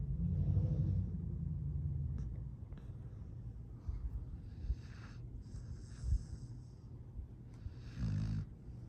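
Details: Sleeping rescue dog Astrid, fostered in Boerne, Texas, December 2022: a low rumbling snore opens the passage, then soft breaths and faint rustles follow, and a brief deeper snore returns near the end.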